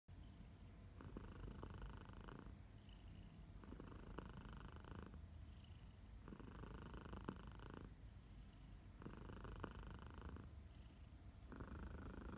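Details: Minnie, a pet cat, purring on a sleepy August morning in Barcelona, with another cat, Elsa, in the background; a continuous low rumbling purr, with brighter phases swelling and fading about every two and a half seconds.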